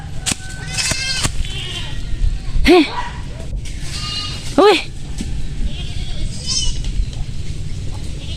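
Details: Farm goats that keep coming back to damage plants, as people plan to throw stones to drive them off: two loud, arched, wavering bleats about two seconds apart, with people talking and steady background noise.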